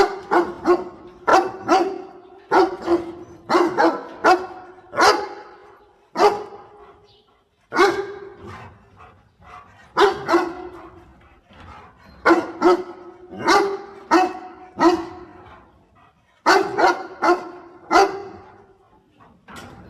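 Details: Dog barking as it helps its owner gather water spinach: repeated clusters of three to five sharp barks, bursts spaced every couple of seconds over a long continuous stretch.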